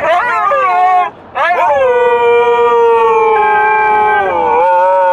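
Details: Dogs singing while riding in a car: a few short sliding yelps, a brief pause, then a long steady howl that holds its pitch before dipping and rising again at the end.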